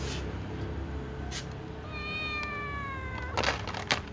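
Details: Ginger tom cat meowing to be fed among other cats: a single long, steady meow with strong harmonics lasting over a second, preceded and followed by clicks and clattering noises.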